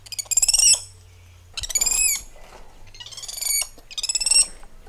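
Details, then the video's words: Four high, harmonic screeching calls from spider monkeys moving through lush treetops, each about half a second to a second long, wavering and pulsed, separated by brief pauses, with a faint low hum underneath. "Spider Monkey Symphony"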